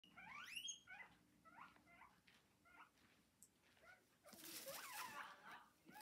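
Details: Pet guinea pigs squeaking: a series of short, high, rising squeaks about four per second, fading then followed by a burst of rustling and chewing-like noise.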